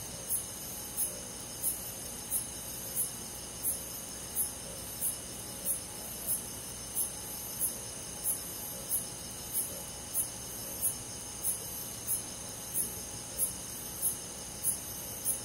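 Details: Night-time cricket chorus from a summer forest in the countryside: a clear high chirp repeated steadily about every 0.65 seconds throughout, layered over a constant high insect buzz.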